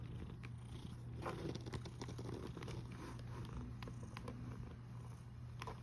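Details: Cat snoring on 1 August 2021, 13:27, a continuous deep rumble holding low and even throughout, with faint scratchy ticks and rustles mixed in.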